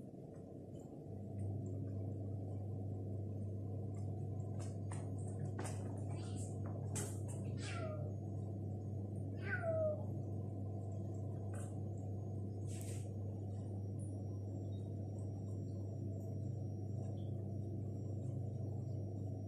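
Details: Egyptian stray cats, a mother and her young daughter kitten, exploring an apartment indoors after eating; two short meows sliding downward in pitch come midway, over a steady loud low hum and a few faint clicks.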